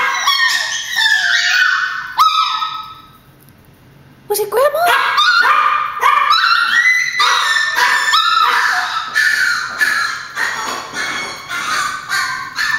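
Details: Pet Chihuahuas, thinking grandma has arrived at the door, let out high yapping barks. A brief lull follows, then a rapid run of sharp, overlapping yips at about four per second.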